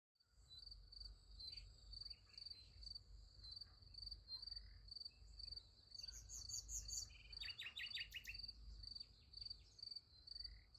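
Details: Crickets at night beside a sunflower field: a steady, high-pitched chirping in short pulsed bursts about twice a second, running throughout, with a few quick bird twitters around the middle and a low rumble beneath.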